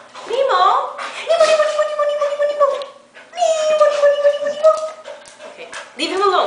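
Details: Female Australian Shepherd at home, howling along when her owner sings Justin Bieber's "Baby": two long, steady, slightly wavering howls of about two seconds each, with a person talking at the start and end.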